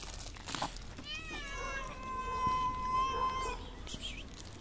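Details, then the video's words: Hungry stray cats living on the street, eleven of them, meowing for food all at once; one long, drawn-out, steady-pitched meow lasting about two seconds stands out, with a brief shorter cry before it and light rustling. "11 hungry stray cats meow for food at the same time."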